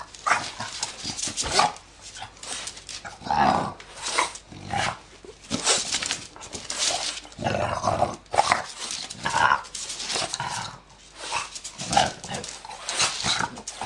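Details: Zeus, a ten-year-old French bulldog, playing with his owner like a puppy before his energy quickly runs out; rough, breathy growls and snorting grunts come in dense bursts every second or two, with short pauses between.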